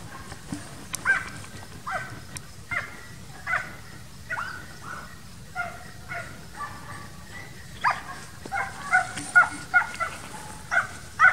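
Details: Transylvanian Hound dogs bark from a distance in summer training for wild boar hunting. Scattered, echoing barks grow quicker and louder toward the end over faint rural background noise.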